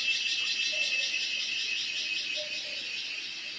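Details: A cicada (cheeveedu) gives a piercing, high electric buzz that pulses about three times a second and tapers off slightly toward the end. Faint low murmurs sit underneath.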